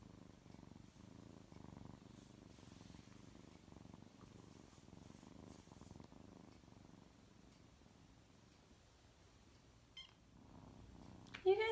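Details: Six-week-old rescued orphan kittens dozing in a lap give soft, quiet low purring in continuous pulses, with a few faint rustles and a short sharp sound near the end.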